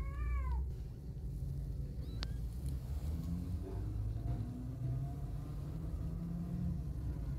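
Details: Fluffy fawn kitten wanting to walk out with its mother cat gives one clear arching meow at the very start, followed by a steady low rumble for the rest.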